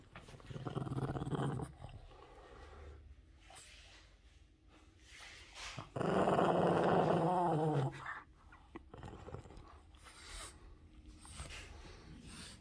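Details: Pet Boston Terrier guarding his socks, growling so no one can get them; a low growl starts, fades, then swells loud and rough for about two seconds mid-way before quieter grumbles, with indoor handling noises.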